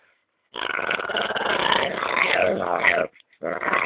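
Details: A dog growling while having its belly rubbed, a continuous rough, buzzy growl of about two and a half seconds, then a short pause and the growl starting again.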